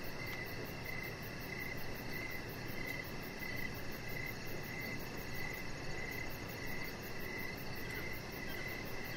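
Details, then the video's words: Crickets in the evening outside on a deck: steady, pulsed mid-pitched chirps repeating about once a second, a faint rapid high trill above, all over constant broadband outdoor hiss. "Cricket Sounds"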